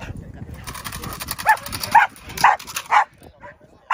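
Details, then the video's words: Indi, a six-month-old Belgian Malinois doing bite work, gives sharp barks roughly every half second after a stretch of low rustling and faint voices, the barks rising in loudness with short gaps between. "Indi 6 month old Belgian malinois doing bite work"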